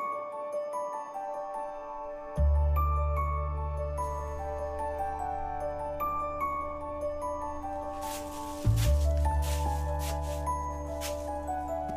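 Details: Only music plays, with tinkling mallet notes over deep bass tones and no animal voices.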